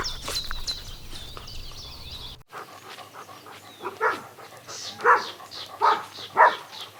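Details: Puppies running and playing together on a grassy meadow; after a stretch of chirping and outdoor background noise, a dog gives four short, harsh barks spaced roughly a second apart, the last ones loudest.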